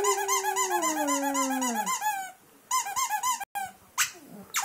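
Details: Boxer dog howling along to a squeaky toy in a small room: a long descending wail sliding downward over two seconds beneath rapid rhythmic toy squeaks, then short squeak bursts with pauses.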